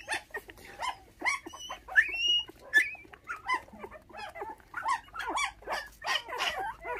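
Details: Five orphaned puppies, their mother stolen by dog thieves when they were six days old and now bottle-fed on milk, give a dense chorus of short, high squeaks and whines, some rising into thin whistled yelps, overlapping without pause.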